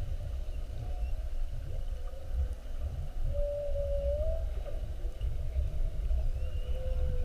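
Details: Whales underwater during a mugging on a 7:30 whale watch, 21 February 2019, spy-hopping around the boat for an hour: wavering tonal moans, one drawn-out rising-falling note mid-clip, over a heavy low rumble of water and engine noise.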